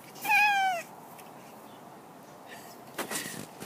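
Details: Jack, an excited pet cat in his new outdoor cat enclosure, utters a short half-second meow that dips at its close, followed by quiet background and a few soft knocks and rustles.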